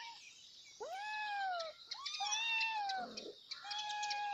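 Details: Kittens meowing loudly for their mother: high, drawn-out arched meows with rich harmonics, some rising then falling, a few overlapping, over a steady background of small birds chirping.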